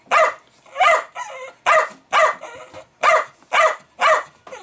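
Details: Pet Jack Russell Terrier excited by bubbling fermenting beer, giving loud rich barks roughly every half second to second, interspersed with softer whining yips between barks.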